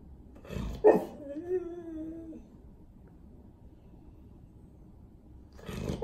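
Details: Golden Retriever (Canis lupus familiaris), whining cry: asking for attention, wanting to go outside.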